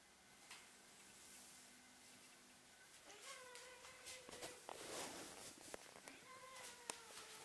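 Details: Fluffy female Ragdoll-Birman kitten indoors, 'singing' at the camera as if trying to say something: after three quiet seconds, a run of short, mid-pitched harmonic meows with rising and falling inflections, amid faint room noise and soft clicks.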